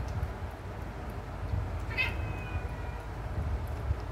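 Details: Mandy, a pet cat who hates medicine and is given her medication directly by mouth, lets out a single short, high meow midway through, faint above a steady low background hum, while a person coaxes her to come.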